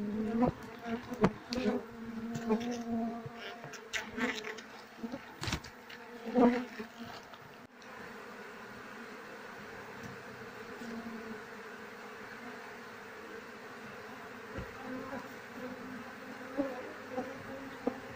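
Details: Apis cerana bees from a queenless colony buzz continuously in a low, layered hum, busy and loud at first with many clicks and knocks from handling the honey combs, then settling into a quieter, even drone.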